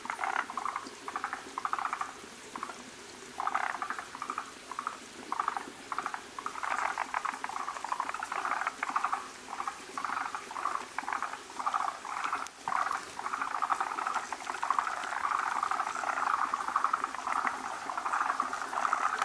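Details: Forest green tree frogs at a breeding site give short, rapid chattering calls in repeated bursts; many males gather around a large egg-laden female as she lays a foamy egg mass.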